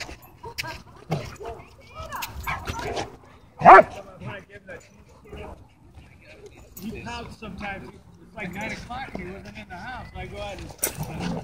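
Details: Dogs at a dog park, happy play interrupted by a dogfight; one loud, sharp bark stands out near the middle, with scattered yips and whimpers around it and people talking throughout.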